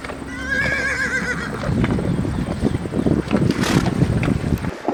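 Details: Horse neighing: a wavering, harmonic whinny from about half a second to nearly two seconds, followed by a dense wash of low rumbling, shuffling and clattering noise to the end.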